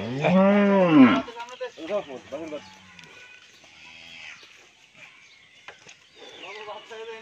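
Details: Friesian cow, nine months pregnant and carrying her first calf, on a Bangladeshi dairy farm in Pabna; one loud, arching moo lasting about a second, followed by quieter short lowing calls and faint background noises.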